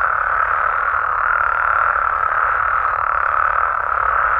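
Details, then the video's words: Steady nocturnal chorus of Mexican frogs and toads, a seamless droning trill of many callers, uniform in pitch and volume from start to finish. "Mexican Frogs & Toads Sounds"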